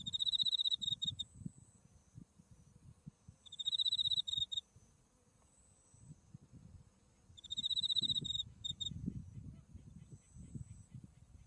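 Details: Buckwheat field in bloom in autumn, Japan, with Mount Tsukuba visible: insects give bright, pulsing trills about one second long, repeated three times at roughly four-second intervals, over a thin steady tone and light wind.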